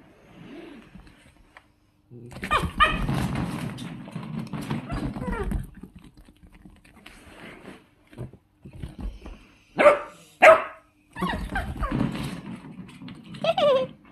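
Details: Two miniature dachshunds growl in long rumbling stretches, then break into sharp, high yapping barks.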